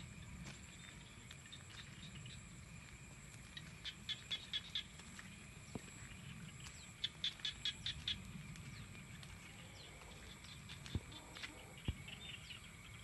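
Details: Evening rice-field frogs give short runs of quick, dry ticking pulses around four and seven seconds, then a few isolated clicks, against a constant shrill insect hum and a low background rumble.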